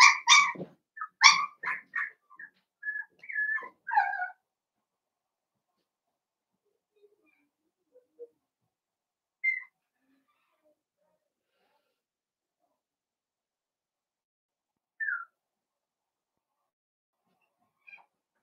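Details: A litter of five blenheim Cavalier King Charles Spaniel puppies, born at New Year, at play with their mother: a rapid flurry of high yaps and squeaky whines over the first four seconds, then near silence with a few isolated faint squeaks.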